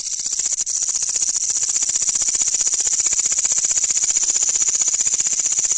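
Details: Katydid calling loudly at night, found while hunting for insects: a dense, high-pitched buzzing pulse train repeated rapidly, about four pulses per second, steady and continuous throughout.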